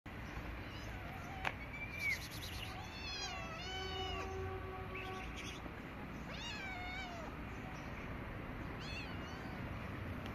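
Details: Stray cats, a gray kitten and a white cat that are friends, outdoors; soft, quiet meows repeated several times, some rising then falling, over a steady background hiss.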